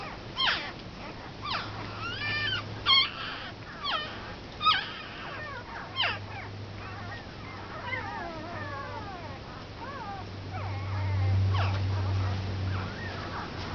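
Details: A litter of one-week-old Komondor puppies squeals and whines almost continuously, with many short high cries in the first half, then wavering, looping whimpers, above a steady low background hum.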